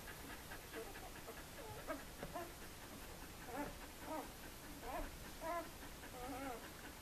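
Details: Puppies two days old in the Sweet/Elite litter of Le Domaine des Pertins let out intermittent looping whines and short squeaks, some pulsing and wavy, spaced about a second apart amid low rustling.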